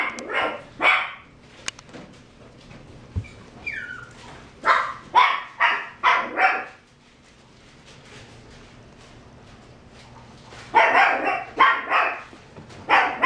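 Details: Mixed-breed dog, health-checked, vaccinated and microchipped, barks in loud bursts: a pair of sharp barks, a short whine, a rapid run of four or five barks, a pause, then another quick volley.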